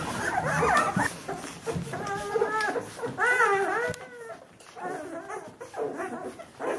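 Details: Two-week-old Bernese Mountain Dog puppies of the B litter whine in clear, tonal cries. Some rise and fall in pitch, a few bend downward, and short pauses fall between the bursts.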